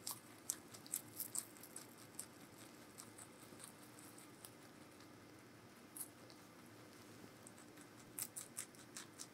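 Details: Meonji, a giant rabbit at Alpaca World, chewing vegetables: bursts of crisp crunchy bites at the start and end, softer irregular munching between, recorded close in a quiet small room.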